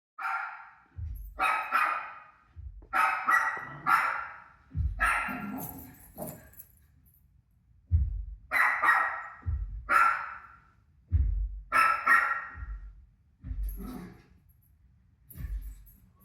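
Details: Rosie, a pet dog, barks at her own barking playing on a TV: loud, harsh barks in single shots and quick doubles, about a dozen over sixteen seconds, with short quiet gaps between bursts.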